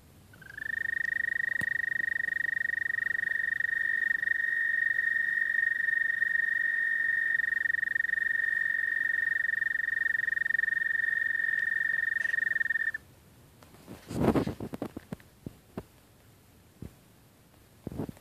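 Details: American toad mating trill, a steady high musical note held for about twelve seconds before stopping abruptly, followed by quiet with a few knocks and rustles.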